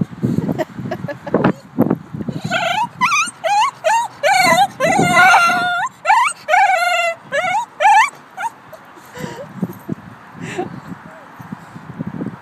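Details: Charlie, a 2-year-old cream male Shiba Inu, yodels in over-excitement on being taken to the dog park, a run of high, wavering whines that rise and fall in pitch.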